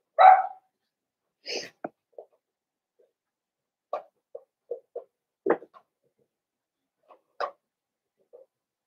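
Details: Indoor pen of five Blenheim Cavalier King Charles Spaniel puppies, seven weeks old; one sharp high bark, then scattered small yips and squeaky whimpers spread over several seconds, the room otherwise quiet.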